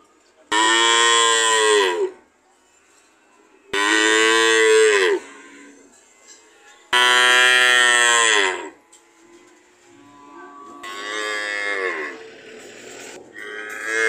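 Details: Cows mooing in a series of loud, harmonic bellows lasting one to two seconds, repeated about every three seconds, the last call fainter and more broken.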